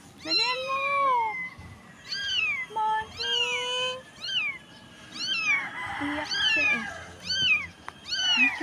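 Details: Stray kitten on a dirty street, small and unable to walk well, crying for help: high, arched meows repeated about every second, harmonic-rich and clear, with a woman's soft voice coaxing in the background.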